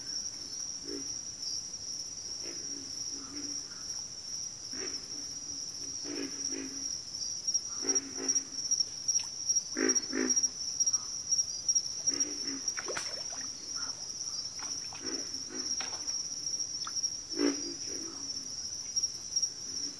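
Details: Frog calls from a backwater, low grunting croaks given singly and in short bursts at irregular intervals, with a steady high insect drone running throughout.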